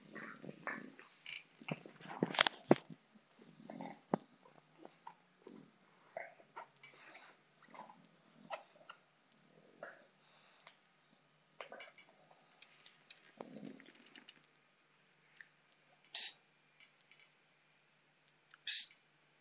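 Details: Female bulldog Botox at play with a soccer ball, giving scattered snuffling grunts and huffs, a few sharp high squeaks near the end, plus clicks and knocks from the ball.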